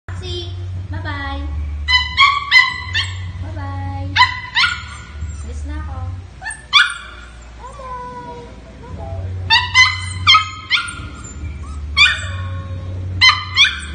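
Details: A puppy cries after its owner said goodbye: loud, high-pitched whines and yelps rich in overtones, some sliding downward, coming in tight clusters throughout, over a steady low hum.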